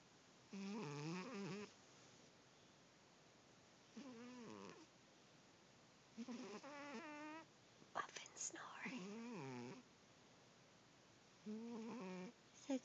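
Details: Cat snoring: five drawn-out, tonal, wavering snores of about one second each, spaced irregularly every two to four seconds, with quiet breathing pauses between them.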